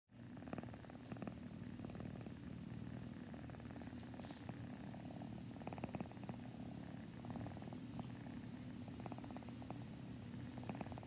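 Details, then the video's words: Rum, a pet cat, purring indoors: a steady low rumble with fine rapid pulsing that lasts throughout, plus faint brief higher bursts that could be another cat sniffing nearby. "Rum purring"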